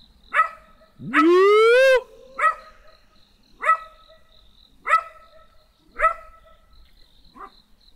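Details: Barks from a small black dog come singly, roughly once a second, each short and sharp. Early on, a long rising whine-like tone briefly cuts across them.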